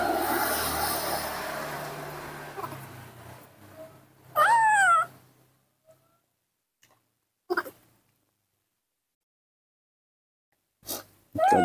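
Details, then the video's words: Baby monkey Nomi throws a morning tantrum, impatient to drink milk: a loud, shrill, wavering cry that rises and falls in pitch, then short sharp bursts of crying, with hiss and a woman's voice in between. "Tantrums and impatience when he wants to drink milk, that's what baby monkey Nomi does every morning"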